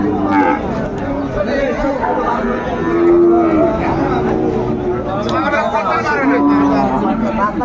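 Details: Sahiwal cattle at a busy cattle market in Munshiganj, Bangladesh, on 28 February 2025; low, drawn-out moos rise twice out of a steady wall of crowd chatter and haggling voices.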